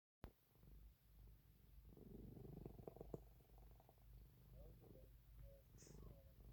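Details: An old domestic cat purring indoors, a low steady rumble with uneven swells; a few faint higher sounds appear late, near six seconds.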